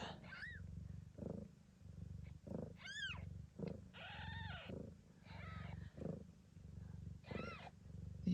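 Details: Low, even purring from Gambit, a blue bicolour Ragdoll giving birth in Australia, runs under repeated high, arching mews from her newborn kittens, about six squeaky cries over eight seconds.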